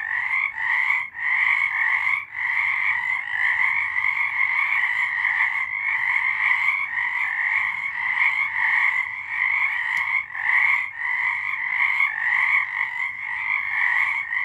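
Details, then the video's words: Nighttime frog chorus from March 2023: many frogs sing together in an unbroken, pulsing trill, high-pitched with a second lower band, occasional short dips in loudness, no other sounds. "Frogs singing"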